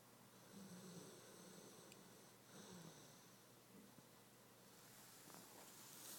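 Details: Flora, a Dogo Argentino, asleep and dreaming indoors, with some sleep running. Soft, low, rasping snores come in short bursts about every one to two seconds over a quiet room hiss.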